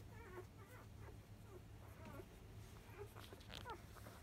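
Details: Field-type Labrador Retriever pups at five days old during the 10 a.m. feed from biscuit, 2017 JFA grand champion: repeated short, high squeaks and small whines scattered through, with a steady low droning hum beneath.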